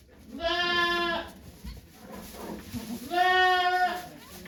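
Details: Two long, strained, harmonic-rich bleats about two seconds apart from the goat Okayu giving birth to two kids at Yoshigake farm, 3 May 2023, watched by volunteers; soft rustling between calls.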